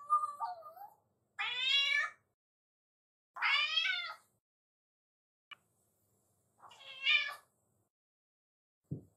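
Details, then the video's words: Black-and-white bicolour pet cat welcoming its owner back home after being left alone; a soft lower sound, then three wavering, bending meows spaced about two seconds apart, followed by faint clicks. "留守番ねこ 飼い主をお出迎えする姿がかわいい"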